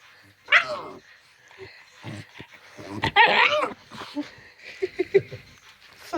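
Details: A male dog makes his normal playing noises: drawn-out, strained whiny groans and grumbles rising and falling in pitch, broken by sharp yelps, with soft clicks and snorts between the louder outbursts.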